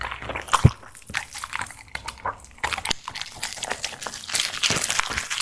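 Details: Dog eating food indoors: crunchy biting and chewing, with irregular sharp crunches and softer mouth sounds in quick succession throughout, one loud crunch early on.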